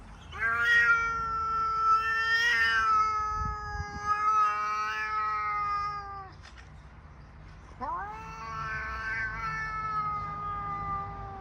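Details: Female domestic cat in heat yowling: a long, loud, wavering wail lasting about six seconds, then a short pause and a second drawn-out rising and falling yowl, rich and harmonic.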